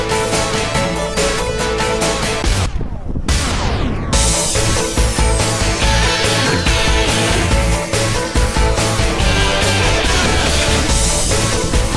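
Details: Loud rock-style instrumental music with driving drums and guitar, a brief break near three seconds filled by a sweeping swoosh, then the full band returns; no animal voices.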